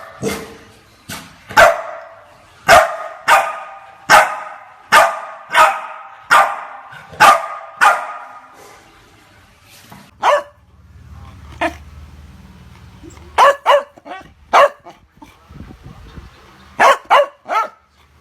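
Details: Chow Chow dog barking repeatedly: a rapid run of about fifteen sharp barks roughly every half second, then a low rumble, then further clusters of quick barks toward the end.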